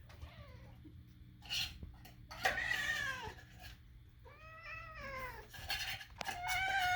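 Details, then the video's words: Domestic cat Moo, indoors, calling while eating: three drawn-out meows with rich harmonics, the middle one a long wavering note, separated by short pauses in a quiet small room. "Moo, why do you make such strange sounds?"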